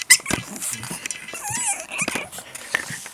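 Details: Pug puppy making noises indoors. A thin, wavering whine rises and dips at mid-clip, with snuffly breaths, soft clicks and a brief sharp squeak at the start.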